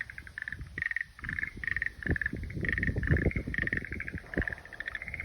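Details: Dense frog chorus of quick pulsed croaks repeated about two to three per second, over strong low rumbling noise.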